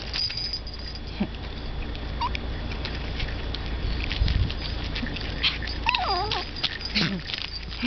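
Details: Toy Poodle puppy crying after being left behind, kept as a pet with a second young dog; high wavering whines rise and fall near the end, preceded by a brief squeak, over steady background hiss and some shuffling.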